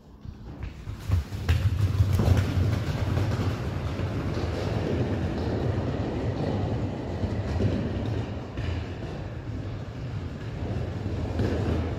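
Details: Steady low rumbling like a passing train or heavy machinery, with faint clattering, recorded while filming a herd of Friesian horses; no horse calls are heard.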